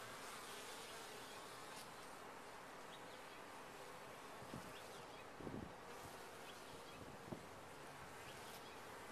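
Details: Colony of honey bees humming in a top-bar hive, an unbroken low, even drone throughout, with brief louder buzzes near the middle as individual bees pass close.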